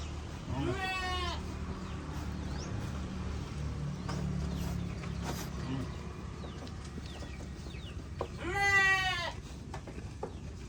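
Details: Sheep in a group give two quavering, trembling bleats, one early and a longer, louder one near the end, separated by several seconds of low background rumble.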